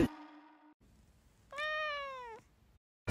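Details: Domestic cat meowing on a shelter floor crowded with about 85 rescued cats; a single clear drawn-out meow, slightly falling at the end, lasting under a second, after a brief softer tone and near silence.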